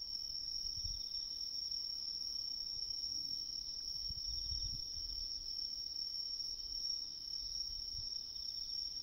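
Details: In autumn woodland along a river, a Japanese tree cricket sings a steady, unbroken high trill that holds one pitch throughout.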